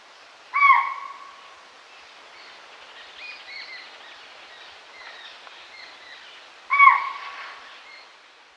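A spotted deer gives two sharp, shrill alarm hoots about six seconds apart over soft forest birdsong.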